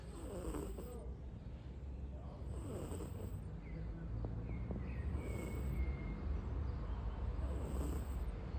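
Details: Bagheera, a pet cat, snoring and dreaming while asleep: soft low rumbling breaths rising in gentle swells roughly every two and a half seconds, with faint thin whistles in the background.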